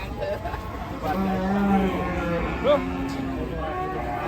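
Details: A giant cow at a busy Indonesian livestock market; a low, drawn-out moo held for about a second, with men talking and crowd chatter around it.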